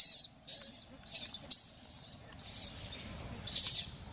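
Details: Abandoned baby monkey Sovana crying loudly and angry: shrill, high screeching bursts repeated roughly every half second to second, each short and harsh, with a low background hum beneath.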